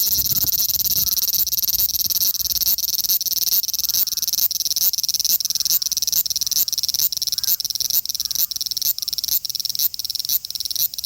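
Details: Osaka city, Japan, 5 August 2019: male large brown cicada recorded on an Xperia XZ1 phone, giving a loud, continuous high hiss with rhythmic throbbing pulses, a brief low thump near the start.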